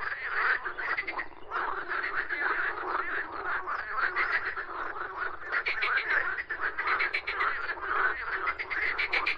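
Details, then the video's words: Numerous frogs croak at once, giving a thick, buzzy chorus of fast-pulsed rattling calls that swells and dips slightly but never stops. "Frogs Croaking Sounds"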